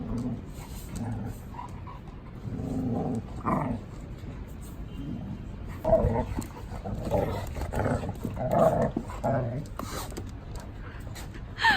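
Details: Pet dog in a household of three large dogs, two Samoyed–Chow Chow mix brothers and a blue merle Border Collie, giving low grumbling growls in short bursts with harmonic moans, while people talk quietly nearby.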